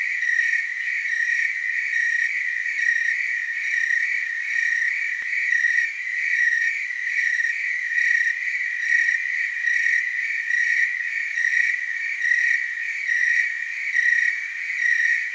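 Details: Tree crickets chorusing in the Willamette Valley, Oregon: a continuous high trilling band, pulsing in soft waves about once a second, with fainter overtones above and no other sounds.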